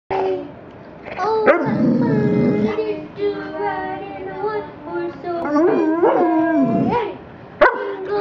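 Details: A golden Labrador retriever joins in Christmas carols, mainly Jingle Bells. It gives long, wavering howls with sliding pitch, some held steady for a second or more, then a dip and a louder rising and falling stretch near the end.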